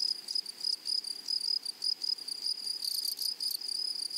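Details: Chorus of grasshoppers in a flowering meadow: a thin, high-pitched buzzing that swells and fades in quick beats, roughly a hundred surges a minute, briefly brightening and harsher toward the end.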